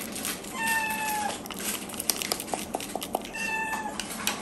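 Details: Four-month-old kitten Miyu calls at breakfast time in her morning routine indoors; two sustained, even-pitched meows roughly three seconds apart, separated by a run of sharp clicks and tapping sounds.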